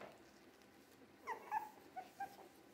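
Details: Three-week-old Jack Russell Terrier mix puppies giving a few short, high, thin whimpering squeaks in quick succession near the end, over a quiet background.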